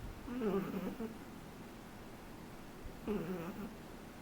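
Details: Laika, a three-month-old Shih Tzu puppy, snoring: two low, slightly tonal rasping breaths about three seconds apart, each lasting under a second, over a quiet steady background hiss.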